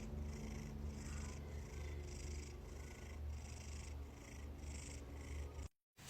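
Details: Domestic cat purring steadily, a low rumbling throb pulsing about twice a second, with faint higher hiss bands repeating in time; the sound cuts to silence near the end.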